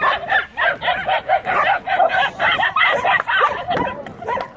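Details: Dogs and puppies welcoming arriving people: a rapid, excited run of high yipping and whining calls, several voices overlapping, pulsing about three times a second with short wavering whines between.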